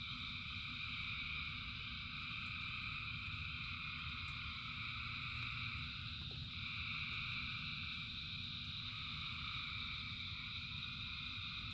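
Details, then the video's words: Rain falls steadily while thousands of frogs keep up a seamless high trilling chorus in parallel bands, briefly thinning around six seconds before swelling again. "Frogs in Rain 2 Hours of Frogs, Thousands of Frogs Singing"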